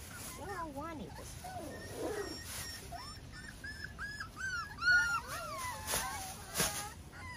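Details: Miniature Schnauzer pups, five weeks old, with their parents Max and Hilda outdoors on a deck on a Sunday morning in May; many high, wavering whimpers and squeaks overlap throughout, with soft voices in the background.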